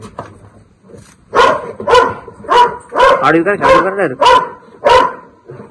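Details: Barking dog confronting a Russell's viper: a run of loud, harsh barks at an uneven, quickening pace, overlapped by excited voices of men speaking Marathi.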